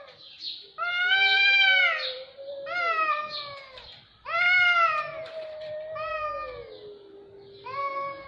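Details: A fierce cat vocalization: long, strained yowls that swell, waver and sink slowly in pitch, four main bursts, each several seconds long, with harsh overtones and a quiet room behind them.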